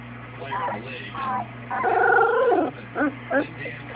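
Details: Two-week-old Newfoundland puppies give drawn-out whining squeals, one long wavering cry in the middle, then two short yelps, over a steady low indoor hum.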